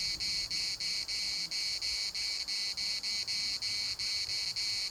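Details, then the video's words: Chorus of cicadas at Larnaca's municipal park, a harsh high-pitched drone broken into rapid even pulses, roughly three per second, dominating a quiet background. "CICADAS at the municipal Park Larnaca"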